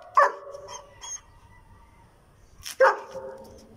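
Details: German Shepherd in attack mode gives a sharp, loud bark followed by softer yaps, then after a gap of about two seconds a second forceful bark that trails off.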